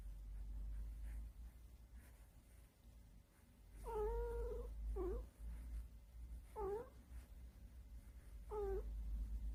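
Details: Pet cat, happy while being stroked by its owner indoors, gives a series of short rising murmured calls, four main ones between four and nine seconds, each a quick upward-bending tone; low steady hum underneath.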